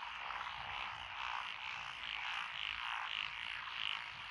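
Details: Frog chorus from lotus rice paddies beside a country road in Echizen, Fukui Prefecture, Japan, 12 June 2021, with Japanese tree frogs, pond and wrinkled frogs, and green tree frogs calling: dense overlapping croaking trills, swelling in waves every second or so.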